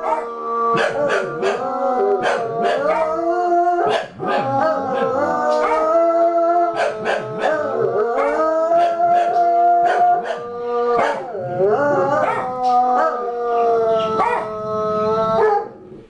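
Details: A Bloodhound's long, mournful howl, joined by a West Highland Terrier's higher wavering howls; three dogs howling together at a passer-by.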